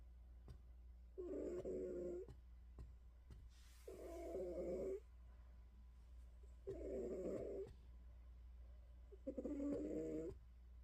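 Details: A domestic cat snoring before sleep, indoors: four rough, nasal snores of about a second each, spaced two to three seconds apart, over a steady low hum and faint clicks.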